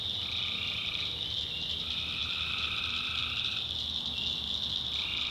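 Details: Swamp at night in the North Carolina backwoods, alive with tree frogs. A shrill steady chorus is overlaid by several lower trills, each held about one to two seconds before another frog takes over.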